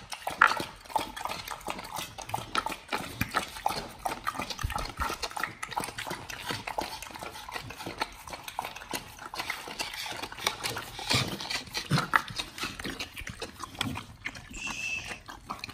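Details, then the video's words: Raw-fed dogs chewing raw chicken breast and duck feet, captured close for ASMR; crunchy bone-cracking bites and moist squelching, uneven rhythm with louder snaps scattered through. "Dogs eat RAW Chicken Breast+Duck Feet [ASMR] | BARF | MUKBANG 犬が生の肉を食べる"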